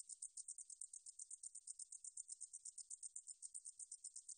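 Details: Katydid song recorded by the National Institute of Biological Resources in 2020: a high, rapid series of dry ticking pulses at an even rate, continuous throughout, with no other sounds.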